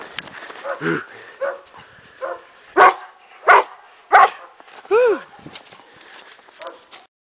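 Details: Kuvasz named Zoltan at play with a young boy outdoors in snow, giving a run of loud barks about a second apart plus a couple of higher, bending yelps, mixed with a person's playful talk.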